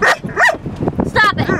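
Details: Female pet dog talking back while in trouble: brief whiny, rising-and-falling yowls between spoken scolding from a person telling her to stop.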